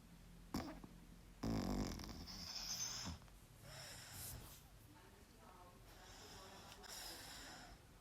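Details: A sleeping dog snores, giving broad, rasping, breathy bursts that swell and fade roughly every two to three seconds, with quieter breaths between them in a still room.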